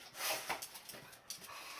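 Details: Rocky, a pet Akita mix dog filmed in the early morning, sneezing with joy: a few quick breathy, snorting bursts in under two seconds, with a soft huff near the end.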